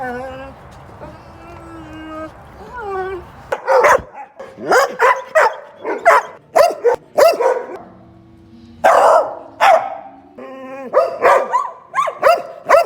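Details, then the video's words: Domestic dog in a funny compilation: a few seconds of tonal, whining or talking-like sounds, then a run of sharp, loud barks repeated roughly every half second, with a pause near the middle. "Weird sounds dogs make"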